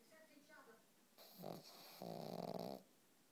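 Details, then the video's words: A sleeping family pug snores in a small room. The human-like snore comes as a harsh, rattling, low breath. One short snort is followed by a longer, throbbing snore. Human voices chatter faintly just before it. "snoring dog"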